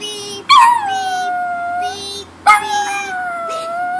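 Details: Howling from Kipper, a household dog reacting to a car alarm: two loud howls that begin high and quickly drop into a sustained tone, while faint regular alarm beeps continue underneath.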